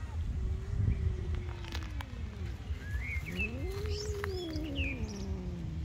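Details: Angry cat in a tree producing long, low wavering moans that swell upward and sag again, slow and drawn out; small birds chirp faintly overhead against constant low-frequency outdoor noise.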